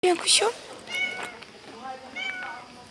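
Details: Domestic cat, a pregnant yellow female named Sarman filmed with another cat called Miyavkız in Turkey, gives short tonal meows with slightly falling pitch, three calls spread over three seconds, after a sharp opening noise and a woman's voice.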